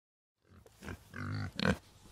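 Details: Aardvark grunting, a sound likened to a pig's grunt: a short series of low, rough, harmonic grunts over about a second and a half, ending in a louder burst.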